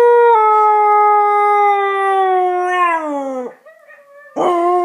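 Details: One-year-old female Husky howling for the first time, set off by recordings of other huskies howling; a long clear sustained tone slowly falling, breaking off, then a short quiet whine and a fresh rising howl.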